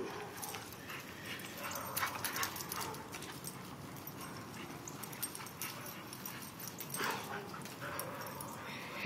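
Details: Domestic dogs at play: Diamond, Clover and Scarlet with Bo, a visiting male boxer. Scuffling and short whimpering yips come in scattered bursts, with thumps and movement noise throughout.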